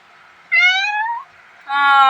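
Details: Playful young male house cat meows twice indoors: a first drawn-out meow gliding upward, then after a short pause a louder, flatter, strongly harmonic meow that is cut off abruptly, with a woman's Tamil chatter around it.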